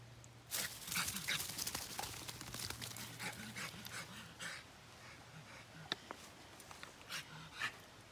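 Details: Dog in a bog on June 18, 2020, panting in quick rough breaths with soft whimper-like traces, a low steady hum underneath and scattered sharp clicks and splashes.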